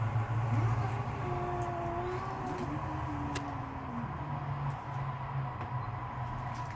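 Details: Cats in a backyard, outdoors, mad and ready to fight: a long, drawn-out, wavering yowl that slides up and down in pitch for about three seconds, set against a steady low engine-like hum and traffic noise.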